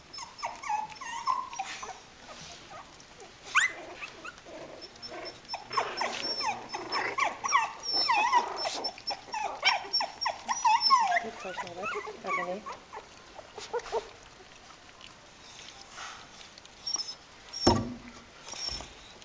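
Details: Litter of Kooikerhondje puppies in their third week, Vom-Veenufer H litter, producing overlapping whiny squeals and soft growly grumbles, busiest in the middle, then fading to sparse noises with a sharp knock near the end.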